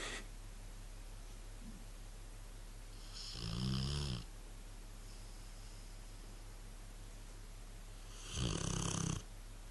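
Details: A sleeping Rottweiler named Ben snores, with deep rattling breaths about five seconds apart.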